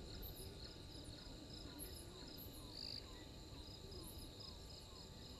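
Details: Insects calling at 03:44 on 12/04/21 at the Gowrie dam waterhole, Djuma Game Reserve, Sabi Sand Wildtuin, South Africa, on a live camera: continuous high pulsed chirps, a string of brief descending notes, and a steady low hum beneath.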